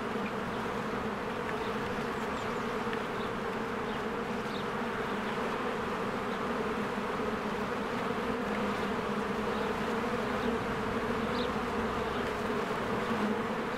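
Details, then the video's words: Honeybees swarming in and out of their hive in spring while flowers bloom: a steady, dense buzzing hum with layered low drones, unbroken throughout, with faint brief chirps of birds high above. "1 Hour of a Beehive ASMR"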